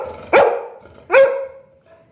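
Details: ['Labrador dog getting aggressive, apparently on a street, gives two loud, sharp barks about a second apart, each a short harsh burst that tails off.']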